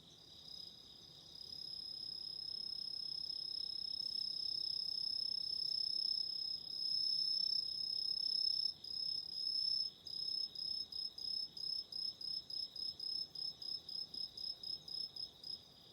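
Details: Night chorus of autumn insects: a continuous high, ringing trill that, after about ten seconds, breaks into rapid pulsed chirps at roughly four per second, over a quiet background.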